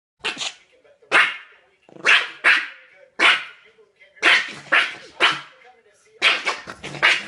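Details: A Yorkshire terrier barking at a cat, which hits the dog rapidly with both paws, gives a run of sharp, high-pitched yapping barks, often in quick pairs.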